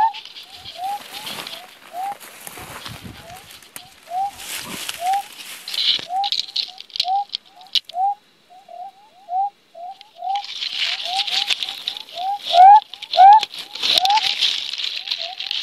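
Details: Western spotted frog males calling from burrows dug beneath muddy ground to attract females; a long series of short rising notes, irregularly spaced and overlapping, with bursts of higher hissing noise around them.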